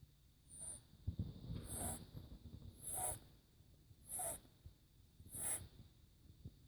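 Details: Max, a kitten aged four months who snores a lot, breathes in a regular rhythm about every 1.2 seconds; every breath has a low raspy rumble and a sharp high whistle. No other sounds.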